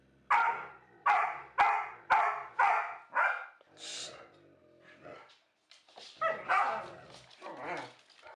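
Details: Rapid run of six loud, clipped dog barks about half a second apart, then a pause and a looser cluster of rougher barks. Recorded alongside an Australian Shepherd and Labrador comparison.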